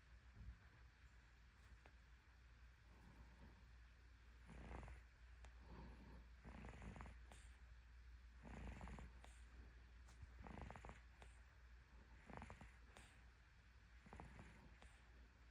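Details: A cat sound asleep and snoring: airy, rasping breaths come roughly every one to two seconds, each a short noisy swell, with a constant low background rumble underneath.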